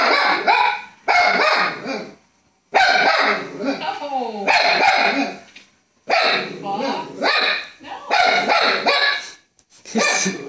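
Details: Fox Terrier barking at the television indoors: long, loud, harmonic bark-howls lasting about a second each, given in clusters with brief silent gaps between runs.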